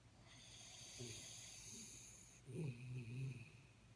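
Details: Sleeping Jack Russell Terrier named Jaxie snoring, a high thin wheezy whistle held over two soft rumbling breaths, the second snore louder and longer, with a gravelly low flutter.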